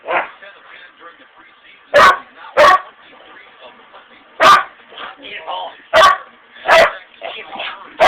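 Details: A huge dog gives six loud, punchy barks in irregular bursts, separated by quieter whining and grumbling vocal sounds.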